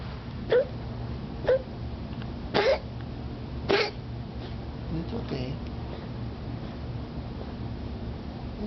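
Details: Jinx, a pet cat, coughing on the morning of 18 August 2010 just after being given liquid medicine, filmed to show the vet: two harsh, noisy bursts about a second apart, with fainter short sounds before and soft human voice throughout.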